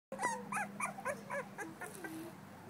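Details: Female blue-nosed American Pit Bull Terrier puppy, two weeks old, filmed 21 December 2011, giving a run of thin, wavering whimpers and squeaks, about five short rising-falling cries in quick succession over a steady low hum.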